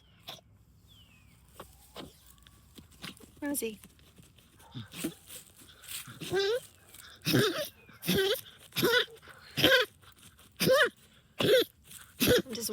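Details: Rosie the dog digs in backyard trenches after moles, honking like a goose from excitement. Faint sniffing and a spoken voice lead into about a dozen quick nasal honks, growing louder and more rapid toward the end.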